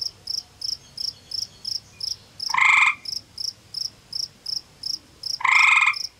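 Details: Gray tree frog male calling from a small cave beside a pond in Ontario forest, warning a rival male over territory; two loud musical trills about half a second each, over steady rapid high-pitched chirping pulses.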